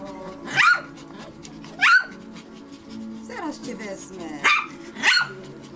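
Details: Maltese and Yorkshire Terrier puppies at a breeding kennel in Reda, Poland, giving short high yapping barks, four sharp yaps spaced about a second apart, with background music and a woman talking softly to the dogs.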